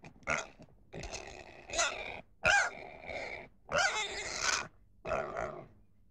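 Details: Pig making rough, rasping grunts and squeals in six uneven bursts, a few lasting nearly a second, separated by short pauses.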